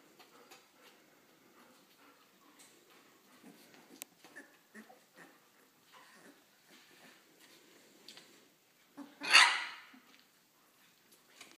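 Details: Three-week-old puppies from one litter, now starting to bark, growl and squeak: soft scattered squeaks and whimpers throughout, then one loud harsh bark-like yelp near the end, followed by more quiet squeaks.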